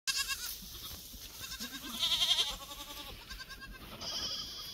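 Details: Black goats on a goat farm in Gimhae, South Gyeongsang, South Korea, recorded 12 July 2024: several overlapping quavering bleats with a strong tremolo, one louder wavering cry midway, and a high electrical whine throughout.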